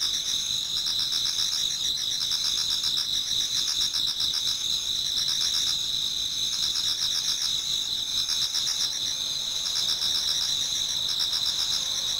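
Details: Many autumn insects singing in a Japanese garden towards dawn: a steady, high-pitched ringing chorus of layered tones, with rapid pulsing trills that swell and fade every few seconds over a continuous shimmering drone.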